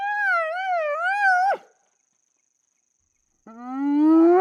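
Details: A spotted hyena (Crocuta crocuta) in Namibia gives a wavering, tonal wail, then after a pause a rising whoop.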